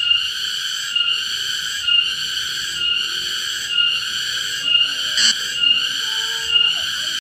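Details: Cicada calling loudly in a garden during an attempt to catch it. The sound is a sustained, piercing metallic buzz interrupted by short regular breaks roughly once per second, with a faint squeak in the background.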